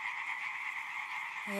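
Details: A dense chorus of male European tree frogs in De Mortelen en Scheeken, Brabant, on a fine spring evening. It is the second evening of mass calling, a steady high rattling din as the males try to attract females.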